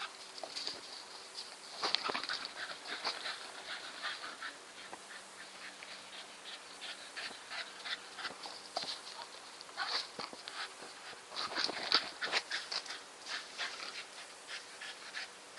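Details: Nikita, a Staffordshire Bull Terrier, panting with quick, breathy, noisy puffs in uneven runs over fifteen seconds, some louder bursts near two and twelve seconds, against a faint steady hum.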